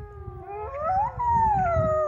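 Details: Several wolves in an enclosure at Polarpark, northern Norway between Narvik and Tromsø, howl together early on an overcast April day, long smooth notes rising and sliding down in overlapping pitches.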